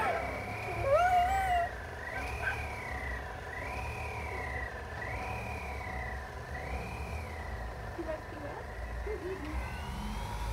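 A small terrier howls in a high, wavering voice that rises and falls in long repeated swells.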